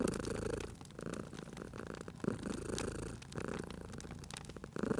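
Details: Cat purring by a crackling fireplace in a cozy setting: a low, rumbling purr swells and fades, with sharp, irregular crackles and pops of burning wood scattered throughout.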